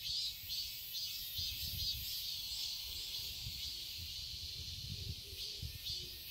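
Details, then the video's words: Garden cicadas in Seoul, Korea, in summer: an unbroken high sizzling buzz, evenly loud throughout, with quiet low rumbles and a few soft low notes toward the end. "Cicadas chirping sounds"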